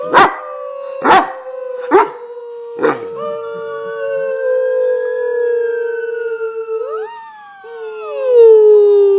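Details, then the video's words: Pet dog singing on cue: four sharp barks about a second apart, then a long smooth sustained howl that slowly falls, breaks briefly, and ends in a louder sliding note. "Singing Dog"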